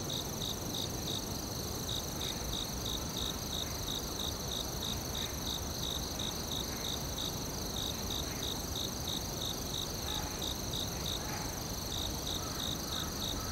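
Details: Woodland cricket chorus: steady, rapid chirps repeating about three per second, a piercing sustained tone overhead, and faint scattered clicks over a dense low hiss.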